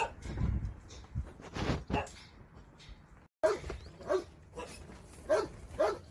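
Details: Dogs barking at a shelter where a volunteer spends Sundays; low thumps and handling noise come first, then after a brief break a run of clear, yappy barks repeats roughly every half second.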